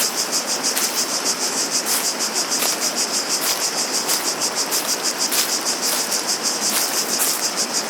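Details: High, rasping cicada song pulses rhythmically around three times a second, with a steady background of flowing water and scattered short clicks, like footsteps.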